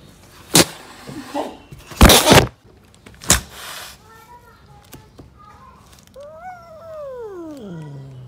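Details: Street-living mother cat, angry and protecting her kittens from anyone approaching. Several loud thumps come first, then a long drawn-out yowl slides steadily downward and settles into a deep growl.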